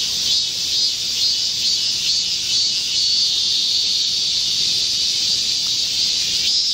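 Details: A dense chorus of Korean cicadas sings in a midsummer green forest in Gocheok-dong, Seoul, South Korea, during a heat wave on 25 July 2024. The wall of sound is a continuous, high, sizzling drone with slight pulsing swells as individual insects rise and fall.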